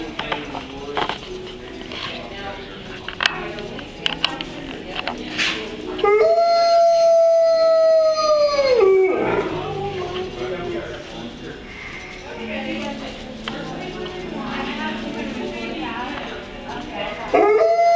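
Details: Wolves at Merle Hay Mall: one long, steady, tonal howl lasting about three seconds, held level and then sliding down at the end, against a background of crowd chatter and indoor noise.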